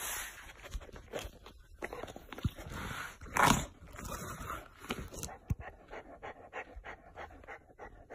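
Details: Chow Chow dog on a very hot day, licking a big block of ice; rapid breathy panting in uneven bursts with a louder burst near the middle, along with wet licking noises and a person speaking to the dog.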